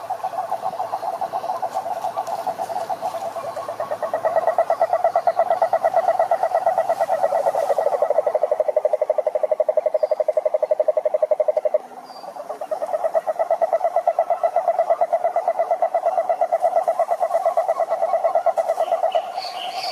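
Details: Many frogs in a pond calling in chorus, a loud sustained run of fast regular pulses at mid pitch with a strong overtone, a brief drop around twelve seconds before the trilling chorus resumes.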